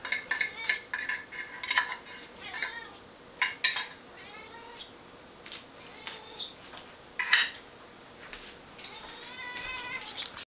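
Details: Wet cat food prompts Eevee the cat's daily morning fuss: drawn-out pleading meows rising and falling, a long one near the end, amid frequent clatter of bowls, spoons and cutlery.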